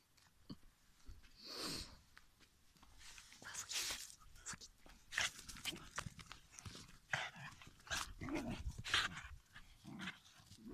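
A Shiba Inu huffs and grumbles in short, breathy bursts, mixed with low growly noises.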